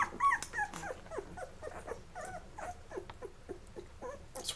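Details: Eleven-day-old Labrador Retriever puppies from Mocha's litter, feeding then sleeping bundled together; rapid run of short curved squeaks and whimpers, about three a second, uneven in pitch, over a quiet indoor background.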